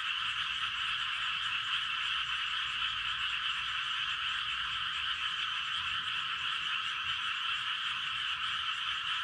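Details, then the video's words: Many frogs calling together at night in a Gapyeong rice field in Korea, about 11:19 pm; unbroken, even chorus of massed croaking, a bright buzzing band that never drops for the whole stretch. "밤의 논개구리 합창"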